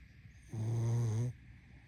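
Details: A single long, low, rattling snore from a sleeping pug, lasting just under a second and rising out of a quiet, steady background hum.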